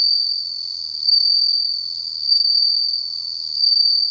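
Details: Captive bell cricket singing in autumn, just starting to call: a continuous high, bell-like trill held steady throughout, swelling slightly louder about every 1.3 seconds, with a fainter higher overtone above it.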